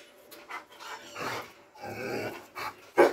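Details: Doberman panting: breathy, noisy bursts of uneven length with faint low voiced tones beneath, separated by short pauses, ending in one sharper, louder huff.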